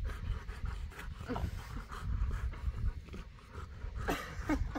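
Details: Boerboel, a South African Mastiff living in Egypt and one of a pair, panting: quick, rhythmic, low breathy bursts that run steadily through the clip over soft background noise.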